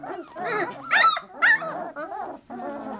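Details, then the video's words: Several 3-week-old Labrador Retriever puppies make a cacophony of short squeaky yelps and whiny cries, bursts coming roughly twice a second, with faint human speech. "Puppy Cacophony"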